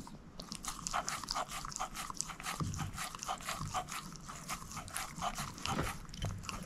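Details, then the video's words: Moose, a female shepherd mix dog, eating a bone indoors: a dense run of sharp, crunchy bites and gnawing clicks, several each second, with no talking. "SHEPHERD EATING BONE ASMR"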